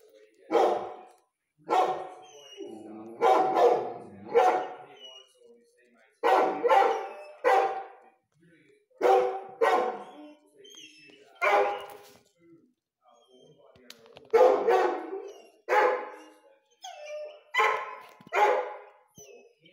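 A Rhodesian Ridgeback gives deep, harsh barks, often in quick pairs, repeated every second or two.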